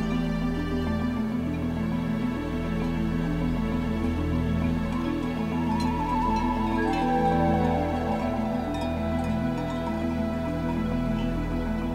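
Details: Soft, sustained new-age music with steady low tones fills the whole stretch, and no animal voices are heard.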